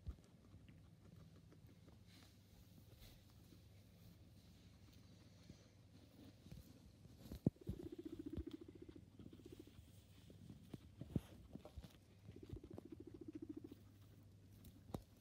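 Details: Pet guinea pig making soft, low, pulsed rumbling bursts lasting a second or two, twice in the clip, among scattered clicks and light tapping in a quiet room.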